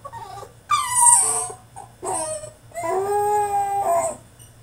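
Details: Tantrum from a French Bulldog shut in his cage: a loud falling whine, a shorter cry, then a sustained level howl-like whine of over a second; steady background hum.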